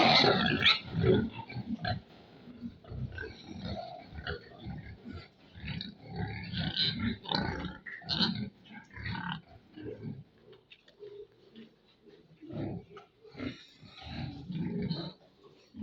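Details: Pigs on a farm grunting and snorting in a busy, irregular stream of short rough bursts, several animals overlapping, with occasional higher squeals.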